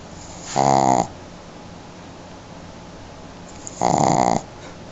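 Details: Sleeping female Shih Tzu gives two drawn-out, buzzy, nasal snores about three seconds apart, with near silence between them.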